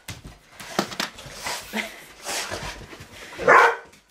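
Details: Indoor play between Rottweilers and a remote control truck: rustling, scuffling noise and low grunts lead up to one loud, sharp bark near the end.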